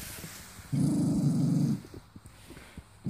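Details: Sangoy the mini doberman, filmed in Cyprus, growls at his owner while refusing to touch his food; a steady low rumbling growl holds for about a second, then quiet snuffling before another growl begins.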